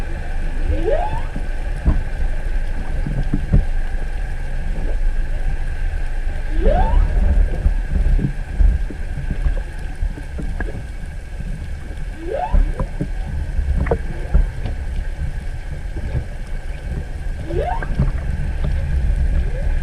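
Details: Humpback whale singing off Hakohama, east of Chichijima, on 21 February 2021, recorded underwater with a GoPro 7 beside a stopped boat: rising upsweeps from low to mid pitch recur about every five seconds over constant low water and hull rumble.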